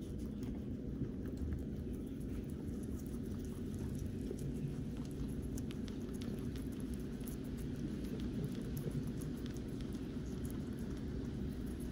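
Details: Dense, even broadband hiss like pattering rain over a low rumble, with no animal calls.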